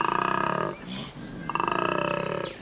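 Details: A large collared male koala bellows in two rasping, rapidly pulsed bursts, a deep snoring-belching sound, at the start of the spring breeding season at Cape Otway, as rising testosterone prompts males to bellow.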